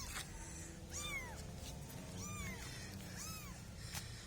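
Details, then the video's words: Kittens giving three clear, curved mews about a second apart, each quick rise and fall, over a low rumbling background with brief clicks. "kitten cats funny moments cats - Suara Binatang 58"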